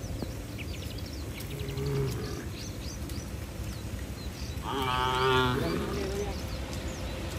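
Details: Herd of tame cattle running for shelter in the barn during rain: a faint low moo, then a louder, rich moo of under a second over a noisy background with scattered high chirps.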